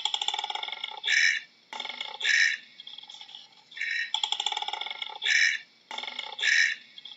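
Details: A koala bellows in raspy, snoring rattles broken by loud, bright grunting bursts, repeated in a steady cycle.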